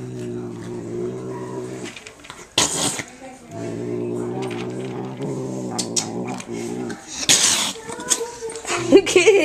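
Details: A male house cat vocalizing while he eats, as he always does; long, steady, buzzing growl-like moans in two stretches of about two and three seconds, with eating noises and rustling between and a person speaking briefly.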